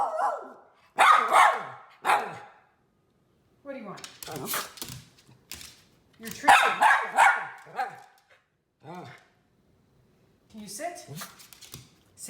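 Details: Eager for a treat, miniature red poodle Teddy Bungoo lets out bursts of loud, rough barks in quick clusters, overlapping with a person talking to him and short pauses of quiet.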